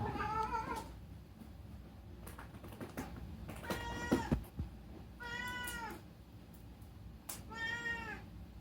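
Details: Rescued pet cat meowing at night indoors, four wavering meows spaced about two seconds apart amid knocks, clicks and household rustling.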